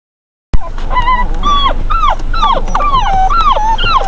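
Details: Beagle pups on a trip to be vaccinated and microchipped, 2 June 2008, whimpering continuously in short, whiny, wavering cries that rise and fall, several per second, with a steady background hum.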